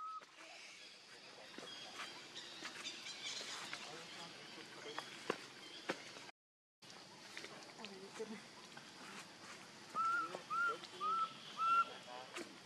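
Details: Baby monkey named Leo crying to its mother for milk: after a stretch of rustling and scattered clicks, four short, high, thin whines come in quick succession near the end, each rising then dropping, about half a second apart.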